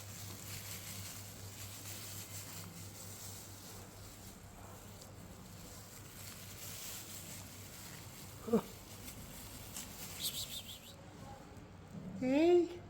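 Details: Cat eating hot roast chicken: a faint short chirp midway, then near the end a loud, wavering meow that rises and falls. The indoor background is quiet, with soft rustling.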